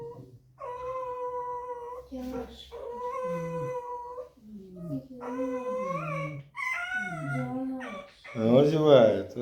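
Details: A red fox kept indoors, complaining because it doesn't want to go outside, gives drawn-out, high squeaky whines, some held steady and others sliding down in pitch.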